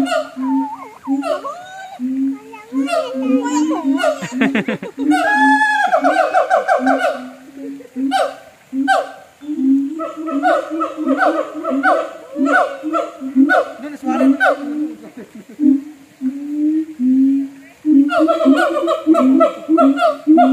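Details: Siamang in a North Lombok zoo keeping up a long bout of pulsing booms and rising whooping barks, briefly breaking into a rapid shrill trill, while people nearby talk and laugh.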